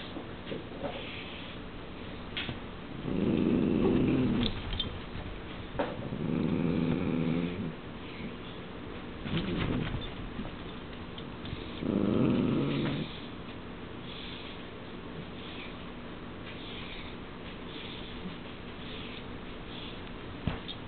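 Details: Two Dachshunds, a male and a female, in a mating dance: four low, rough growling grunts, each about a second long and a few seconds apart, over a constant background hum.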